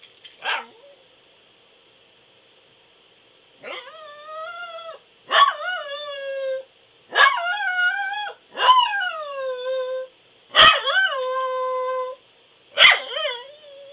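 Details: A Pembroke Welsh Corgi howls in a series of six loud, drawn-out notes, each beginning with a sharp yelp and then sliding down into a steady, rich, wavering tone, with brief silences between them.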